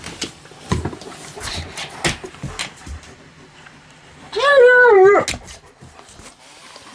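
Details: A German Shepherd at home calls its owner with a whine because an item fell under the bed. One loud, wavering whine lasts under a second, surrounded by quiet room noise and brief speech.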